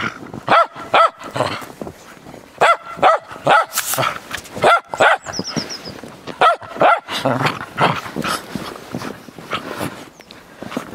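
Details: Frisky Cairn Terrier barking while playing in the snow, sharp yaps in pairs and triplets repeated steadily throughout, with a faint high chirping tone in the middle.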